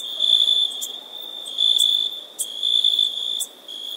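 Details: Shrill insect trill held on one high note, pulsing between loud and quiet phases about once per second, with scattered short clicks.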